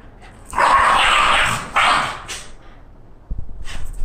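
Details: Excited female Shiba Inu, reacting to walk time, lets out a loud, hoarse, drawn-out scream of about a second, then a shorter second burst, followed by quieter shuffling and faint knocks.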